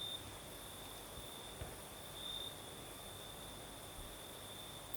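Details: Crimean night with crickets singing in a light breeze: an unbroken high, thin trill with one brighter surge midway, a faint upper shimmer, and low airy rustling throughout.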